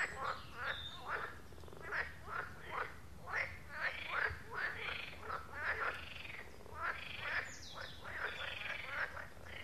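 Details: Pond frogs keep up a busy croaking chorus: rattling, duck-like calls pulse in quick overlapping bursts throughout, forming a continuous nocturnal-sounding wall of croaks without other noises.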